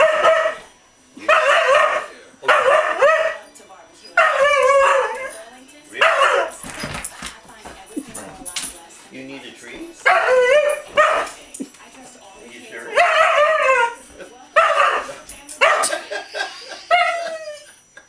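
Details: Audi, a female Afghan hound, demanding a massage and her cookie right now; drawn-out, wavering yowl-like vocal bursts repeat roughly every two seconds, with a person talking between them.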